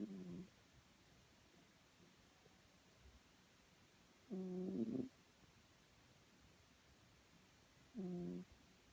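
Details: Sleeping pet cat Chloe snores steadily, three low, buzzy, whistling breaths spaced roughly four seconds apart, each under a second long, with near silence between.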